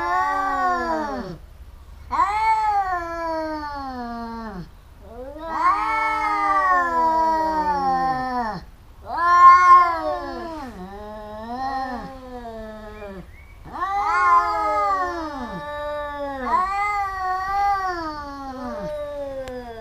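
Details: Pair of domestic cats fighting, biting each other repeatedly: a run of arched, rising-and-falling yowls and moans, with brief pauses between, varying in loudness over twenty seconds.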